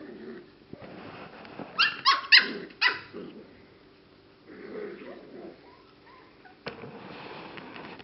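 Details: English Cocker Spaniel puppies, six and seven weeks old, give a quick run of high, squeaky yips, then a few soft whines.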